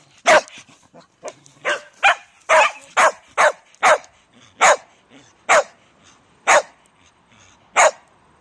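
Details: Shetland Sheepdog barking loudly: sharp, broadband barks, about a dozen in eight seconds, irregularly spaced with short gaps, some doubled, with faint softer sounds between.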